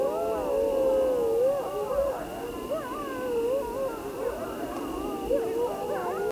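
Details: Grey wolves in a group howl, many overlapping voices with quick wavering, yodel-like bends and short rising glides, dense and continuous from start to finish.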